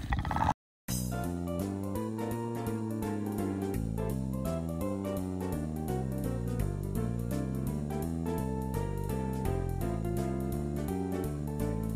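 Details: Cheerful background music with piano, guitar and drums plays steadily after a short silent gap near the start, with no animal sounds.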